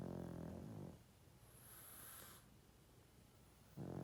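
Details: A 12.5-year-old male pug asleep and snoring loudly, with a deep, grating, vibrating inhale, a faint whistling exhale through the nose in the quiet middle, then the next rasping snore beginning.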